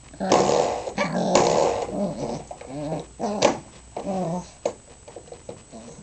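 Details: A teething three-month-old female Pembroke Welsh Corgi pup plays with a spring doorstop indoors. She gives rough, rumbling play growls mixed with higher whiny yaps in short, uneven bursts.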